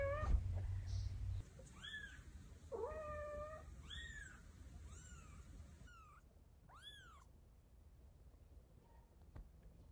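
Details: Mother cat carrying her kittens in her mouth to move them to safety. A run of about seven meows follows an opening low rumble. The meows are clear, arched and harmonic-rich, some sliding up and others drooping, with quiet indoor background.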